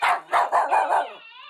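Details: A Shiba Inu gives five quick, sharp barks in a rapid burst while barking at another Shiba Inu on a YouTube video.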